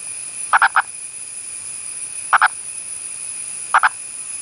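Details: Indian purple frog, an elusive endangered species of the Western Ghats, India, calling: three low, clucking calls, each made of two or three rapid pulses, spaced one to two seconds apart over steady high insect hiss.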